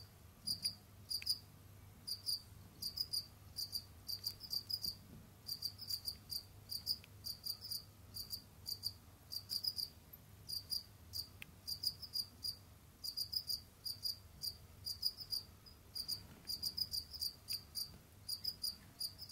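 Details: Jamaican field cricket kept as a pet, seen roaming and hunting other insects; bright high chirps in quick bursts of two to five pulses, repeating continuously with brief gaps, over a soft low room hum.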